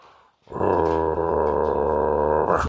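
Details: French Bulldog on the attack, growling indoors: after a brief quiet start, one continuous, deep, rumbling growl holds steady for about two seconds with a rough, buzzing tone and no breaks.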